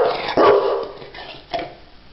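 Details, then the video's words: Pet dog producing two gruff, breathy bark-like bursts about a second apart, the first louder and longer, with quiet room tone between them. "Funny Talking Dogs"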